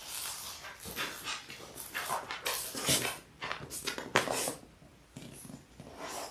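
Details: Six Labrador Retriever puppies in their sixth week, born January 18, 2022, on an indoor live puppy cam: a steady jumble of soft whimpers, snuffles and scuffling, with brief louder yelps around the middle.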